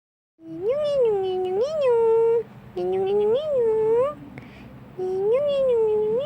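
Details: Black male domestic shorthair cat named Tarzan, one year two months old, awaiting adoption in Petaling Jaya, Malaysia, meowing indoors: three long, clear, tonal meows, each rising to a bend then settling, with short quiet gaps.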